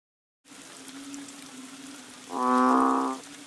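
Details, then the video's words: Banded bullfrog near a bungalow on Koh Lanta, Thailand, during the March rains; one loud, harmonic, moo-like drawn note of about a second rises over a steady low droning background chorus. "The Amazing Moo Frogs of Koh Lanta!"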